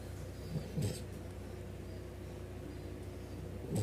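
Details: Snoring dog with deep, big-dog snores: low rumbling inhalations near the start and again near the end, each with a brief airy rasp, separated by a quiet stretch of low steady hum.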